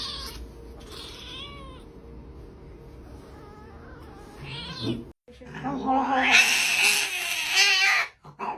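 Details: Kitten meowing: after a quiet stretch with faint, high, wavering tones, a loud, harsh, drawn-out meow rises and falls for about two seconds, then breaks off.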